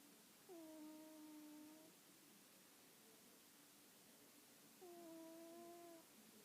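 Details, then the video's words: Domestic cat casually snoring indoors: two steady, whistle-like nasal tones of about one and a half seconds each, spaced roughly four seconds apart with quiet breathing between, in a hushed room. "My cat casually snoring..."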